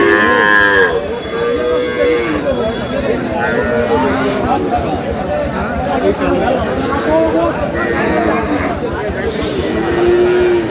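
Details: Cows with calves at the Aftabganj cattle market in Dinajpur, Bangladesh, on May 19, 2026: drawn-out, wavering lowing moos from several animals overlap one another above constant crowd chatter and bargaining voices.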